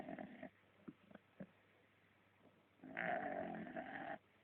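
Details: Dog asleep, giving a faint short snort and soft breaths, then one loud, drawn-out rasping snore of about a second.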